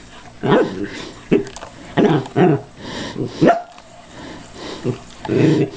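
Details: Cairn Terrier barking at a callous remover it is cautiously attacking although the tool is switched off; short sharp barks in irregular bursts, some doubled, with quiet gaps between, in a small room.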